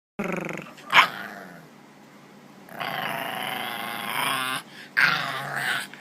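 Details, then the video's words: Bulldog puppy growling: a rough, sustained growl rising into a long harsh whine-like rumble, broken by sharp yips near the start and end. "Growling Bulldog Puppy"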